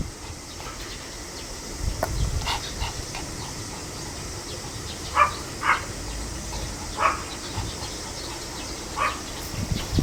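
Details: Quiet, steady hiss broken by four crisp, high-pitched Pomeranian barks spaced one to two seconds apart; a low rumble near the start. Recorded 25 July 2015.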